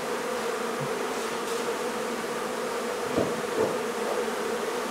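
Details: Honey bee colony being removed from a barn in La Feria, Texas, and relocated: a steady, dense droning hum of many bees holds throughout, with a few soft knocks or thumps around the third and fourth seconds.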